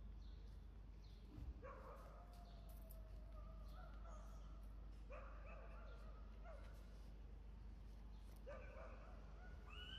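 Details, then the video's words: Whiskey, a pet Pomeranian who wants to play, gives short whiny yelps that rise and bend, about five bursts spread over ten seconds with quiet gaps, over a steady low background hum. "Gusto lang naman nya makipaglaro, pero hwag lang syang tatahulan"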